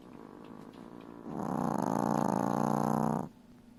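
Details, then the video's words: Sleeping Chihuahua puppy with her mother, snoring loudly like a piglet: soft breathing, then one long, loud, rasping snore of about two seconds that stops abruptly. "Chihuahua Puppy snores loudly 🐶😂 like a piglet along with her mother"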